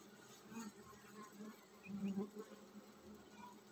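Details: Honey bees in a hive getting ready to swarm, giving a continuous deep hum with overtones that rises briefly in loudness, set against soft steady hiss.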